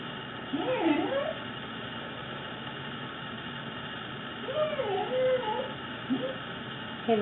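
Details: Fuji, a fluffy pet Corgi, showing off some of his many weird noises: two bouts of wavering, yodel-like whines that slide up and down, separated by a quiet stretch, over a steady low mechanical hum.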